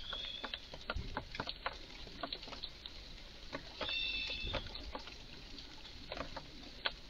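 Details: In a garden, a visibly agitated Eurasian red squirrel makes odd noises: a stream of short, hard ticking clicks at an uneven pace, while a high whistled bird note briefly sounds in the middle.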